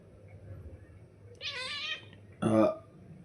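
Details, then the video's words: Pari, a pet cat, calls insistently to her owner indoors: a longer meow followed a second later by a short, loud, sharper meow, with a man talking to her nearby. "बाबाला हक्काने आवाज देणारी लाडकी परी....."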